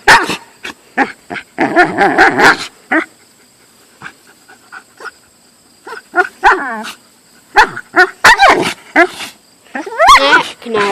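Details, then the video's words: Siberian husky vocalizing at a hated golf club: dense rapid barks and rough yowls at the start, a near-silent pause, then renewed wavering woo-woo cries and barks rising in pitch at the end. "A wolf/Siberian husky hates golf clubs"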